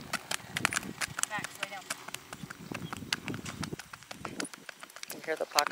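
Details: Missouri Fox Trotter mare, 15.2 hands, 11 years old, double-registered, ridden in a smooth gliding foxtrot gait: sharp hoof clicks repeat in an uneven four-beat rhythm, with a woman talking over them outdoors.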